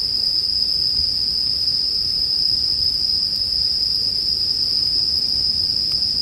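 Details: Bell crickets heard as sleep background ambience: a steady, unbroken high-pitched ringing drone that holds one tone throughout, with a faint low rumble underneath and no other clear sounds.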